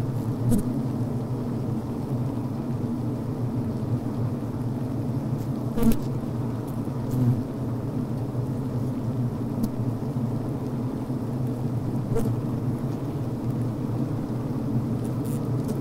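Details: Inside a healthy honey bee hive at the brood frame: continuous deep humming drone of venting and working bees, punctuated by several faint clicks and short buzzes scattered through the recording.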